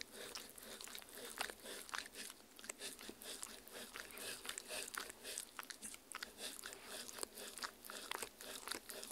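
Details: Halloween jello worm treats made from strawberry, meat, agar-agar and water being eaten by a dog indoors, recorded with a Tascam R-40; dense, continuous crunching and sharp bites pile up without a break across the stretch.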